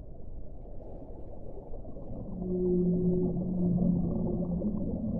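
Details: Single whale moan rising out of a dull low rumble halfway through, a steady mid-low tone with a fainter higher harmonic, lasting about two seconds before fading.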